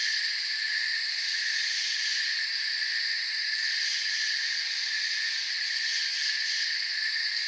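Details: Many crickets in a forest ringing together in a constant high, pulsing drone of stacked trills, uniform in volume from start to finish.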